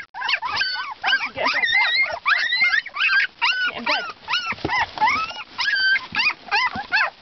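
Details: Two-week-old Siberian Husky pups with their mother, giving a dense chorus of overlapping high whines and squeals, many rising then falling, several pups calling at once in rapid succession, with faint human voices underneath.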